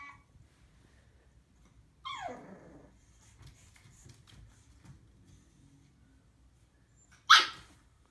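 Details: Female pug puppy on her first day home barking at her own reflection in a mirror; a sharp yelp sliding downward near two seconds, quiet shuffling, then one loud abrupt bark near the end.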